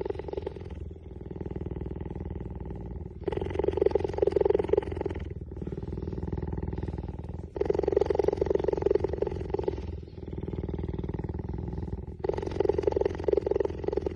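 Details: Cheetah (Acinonyx jubatus), purr.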